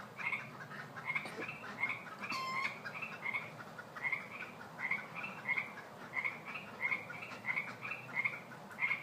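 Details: A night chorus of Pacific chorus frogs (Pseudacris regilla) in Fair Oaks, heard at bedtime, with many voices giving quick two-part, raspy krek-ek calls over one another.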